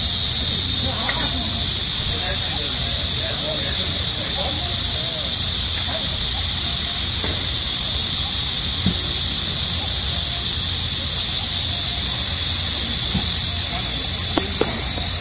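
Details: Cicadas in midsummer during a nationwide heatwave, a very loud, steady high-pitched buzzing drone that holds unbroken for the whole stretch, with faint low rumbles beneath.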